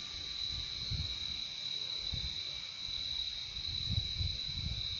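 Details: Crickets trilling continuously at a high, steady pitch, their relaxing insect chorus accompanied by repeated soft low thumps and rumbles scattered across the background.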